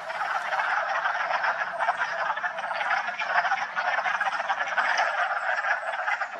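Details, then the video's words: A dense chorus of wood frogs at a vernal pool in a Massachusetts park on March 14, during their spring breeding arrival: many overlapping, clucking calls merging into a steady, duck-like chatter. "hope you enjoyed the wood frog chorus"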